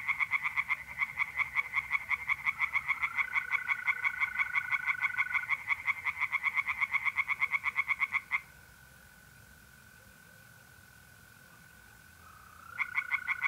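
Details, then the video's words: Pond at night in north-east Italy, mid-April: tree frogs call in fast, regular rasping pulses for about eight seconds, fall silent and leave a lone steady mole cricket trill, then start again. "relaxing singing tree frogs in pond"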